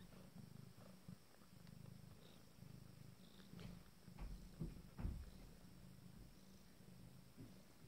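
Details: Nine-day-old Abyssinian kittens purring: a steady low rumble in uneven surges, swelling and fading, with a few soft rustles and thumps near the middle.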